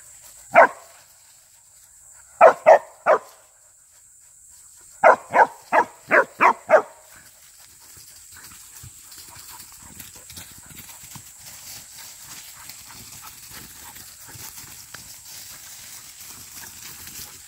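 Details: Young hunting dog training for wild boar hunting, barking in quick bursts of two, three and then six sharp yaps within seven seconds, followed by quiet rustling under a steady high whine.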